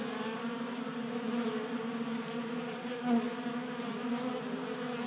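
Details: Buzzing of honey bees feeding from a 3D printed feeder in a Colorado garage in January, the low layered drone briefly louder as a bee passes close around the middle.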